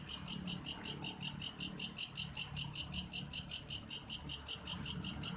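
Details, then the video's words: Grasshopper (belalang kayu) calling steadily, presented as a nature sound for sleep: a fast, regular pulsing high-pitched buzz, roughly two and a half pulses per second, cricket-like, with faint low background rumble. "suara alam "belalang kayu""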